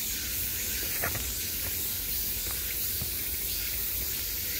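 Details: Summer cicadas calling from all around, a dense, steady high-pitched hiss-like buzz that holds without pause; a few faint clicks and low rumbling sit underneath.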